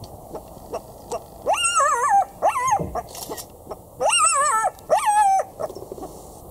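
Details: A female black-backed jackal in South Africa in March 2016, behaving strangely beside a car, gives a series of high, wavering, whining yelps, each under a second; only females are said to talk like this to each other.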